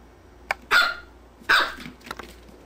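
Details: Two sharp barks about three quarters of a second apart from dogs JubJub and Daisy, the black-and-white one, while they play, with a few faint clicks between.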